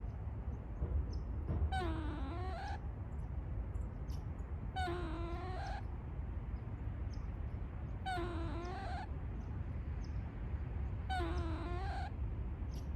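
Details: Gray squirrel in a woodland making an unexpected, cute noise: four drawn-out, tonal moaning calls about a second long, each dipping then rising in pitch, repeated roughly every three seconds over a steady low rumble.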